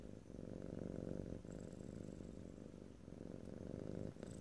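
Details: Pet cat purring close to the microphone in stereo, a deep vibrating rumble broken into three breaths, each lasting about 1.3 seconds, no voices.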